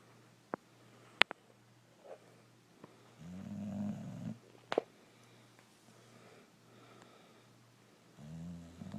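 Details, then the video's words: Brindle Boxer named Rocco sleeping indoors, snoring in two long, deep, rasping breaths, separated by quiet gaps, with a few sharp clicks and taps early on. "Boxer dog snoring away"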